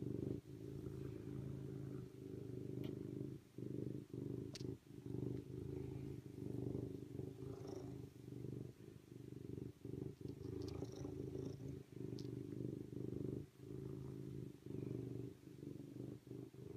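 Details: Steady rumbling purr from a serval, interrupted by many short pauses for breath, with faint scattered clicks above it.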